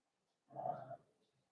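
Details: A four-week-old Cavalier King Charles Spaniel puppy indoors in a home puppy pen gives a single short, husky whimper of about half a second. It has a slightly grumbling tone, and quiet follows.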